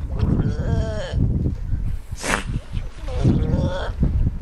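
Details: Galapagos sea lions on the Galapagos Islands: several short, bleating, wavering calls in quick succession, broken by a brief hissing burst of noise midway, with rough low background rumble throughout.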